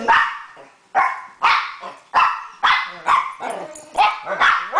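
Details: Two pet dogs, Sadie the Weimaraner and Tony Montana the Chihuahua, in their daily evening howling session: short, wavering, yelping howls rising and falling, about one burst per second, overlapping between the two dogs.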